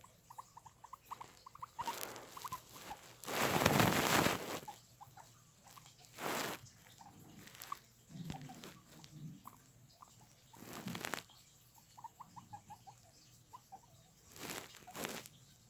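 Guinea pigs give runs of short, quick squeaky notes, broken by loud rustling bursts.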